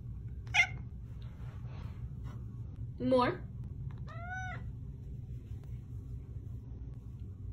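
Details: Domestic cat trained to meow on command, indoors; a short harmonic meow around three seconds in and a clear rising-falling meow near four seconds, with a person speaking between calls.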